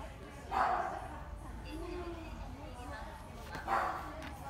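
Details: Kaninchen dachshund in a pet shop in Shiojiri giving two short, sharp barks about three seconds apart, with people talking steadily in the background.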